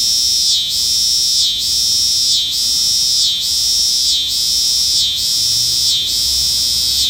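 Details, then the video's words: Cicada singing a loud, continuous high-pitched buzz that briefly dips and resumes about once every second, forming a steady pulsing rhythm across the whole recording. "Singing Cicada"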